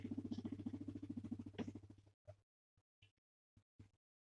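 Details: Guinea pig, male and kept as a pet, purring under stroking and petting: about two seconds of fast, low, evenly pulsed rumbling, then a few isolated soft clicks and taps before quiet.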